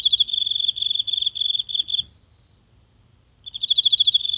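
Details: One insect singing each night in the grassy patch of a small home garden, phone brought near: a high, rapidly pulsed trill of about two seconds, a pause, then the trill starts again; otherwise still and silent.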